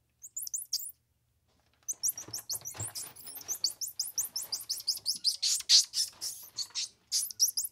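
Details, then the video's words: Squirrel monkey producing dense runs of high, sharply rising chirps that speed into a continuous twitter after a brief silence, with a soft low rumble beneath at times. "Squirrel Monkey Sound"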